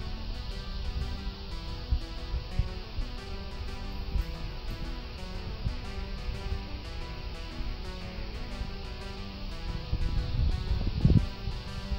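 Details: Strummed guitar music plays throughout, with no animal sound heard.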